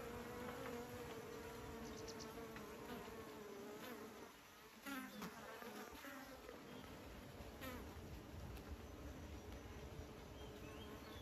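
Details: Beekeepers' bees produce a busy, overlapping hum; the drone dips briefly midway then returns, with close fly-bys adding short rising and falling whines.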